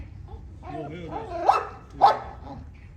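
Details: Tibetan Mastiff puppies, two short sharp barks about half a second apart after a brief run of whining, voiced sounds, with low background rumble.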